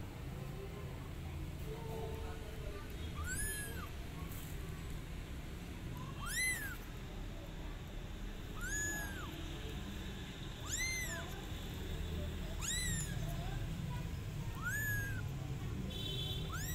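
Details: Kitten repeatedly calling its mother cat, which comes to help. Seven or eight short, high, arched meows at irregular intervals of one to two seconds, over a continuous low rumbling background.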